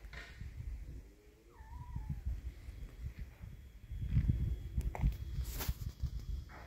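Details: Cat in an encounter where a brave kitten shows no fear of an adult cat; one short meow that dips then levels off, over steady low rumbling background noise and a few sharp clicks and knocks.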